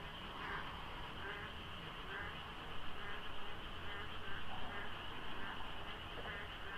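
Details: Rainy-season frogs at dawn near Deokso IC on a Korean expressway, many voices overlapping: rhythmic croaks repeat over a constant hum, with a passing vehicle's rumble swelling midway.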